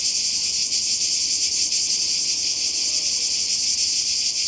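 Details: Cicadas calling by the sea in Croatia, summer 2020: a dense, unbroken high-pitched shrill chorus with a fast pulsing throb, holding steady loudness throughout.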